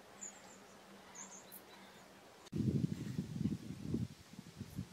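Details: Red deer early in the rutting season: after a quiet start with faint bird chirps, a sudden deep, rasping roar breaks out in pulsing grunts for about two seconds, then fades into shorter coughs.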